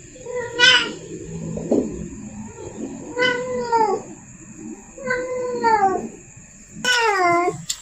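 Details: Female cat in heat calling to attract the male: four drawn-out, nasal yowls, each falling slightly at the end, spaced about two seconds apart. A steady high electronic whine is heard throughout.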